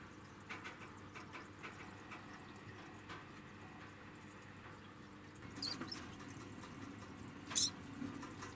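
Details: A degu, moved into a small room while its cage is cleaned, protests with two brief, piercing high-pitched squeaks about two seconds apart over faint rustling and a low, steady hiss.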